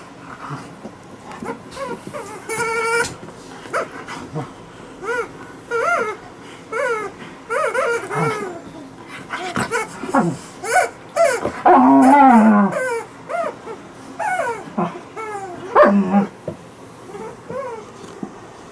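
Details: Alaskan Malamute making a long run of funny noises: short whines, yips and woo-like vocal bursts that bend up and down in pitch, coming in quick irregular succession.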